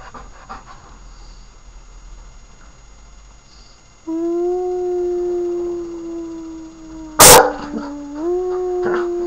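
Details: Puppy lets out one long, steady howl lasting about five seconds that steps up slightly near the end, interrupted by a single loud bang; quiet room noise before it.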